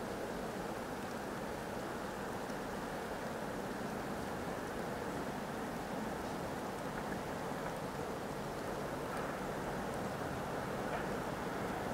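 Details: Steady broadband rushing noise, like wind or a passing plow in a blizzard, continues throughout without any animal sound.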